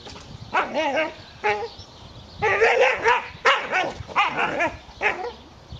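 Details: Dobermann named Magmar Von Der Burgstätte, in training, giving a series of short, sharp barks in bursts, some with a rising-falling whine, separated by brief pauses, over a steady background hum.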